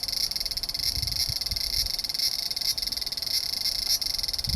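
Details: Large brown cicada calling on 3 September 2015, when fewer of these cicadas remain: a harsh, sizzling high buzz pulsing in rapid, regular beats, with faint low rumbling underneath.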